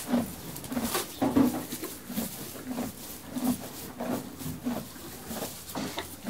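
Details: Horse munching hay inside a stable: low crunching bites repeating roughly every second, uneven in spacing, over a faint rustle of straw.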